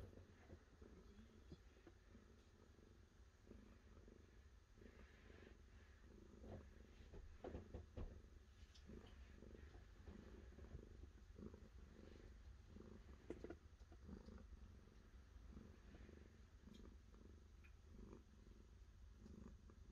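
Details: Continuous low cat purr, rhythmic throbbing cycles repeating for twenty seconds, with scattered faint taps and brushing noises over the drone.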